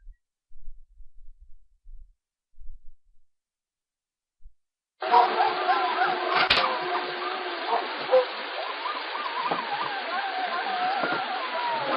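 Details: Near silence with faint low rumbles opens the recording, followed by steady narrow-band talk and background sound. No animal calls can be picked out.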